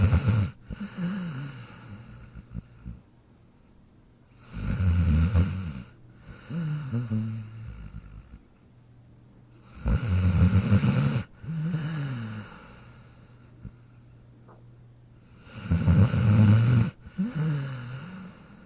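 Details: Jack, a dog asleep in his dog bed, snores rhythmically, with deep rattling snores roughly every five to six seconds, each trailed by a gentle wheezing exhale that bends in pitch; faint constant hum behind.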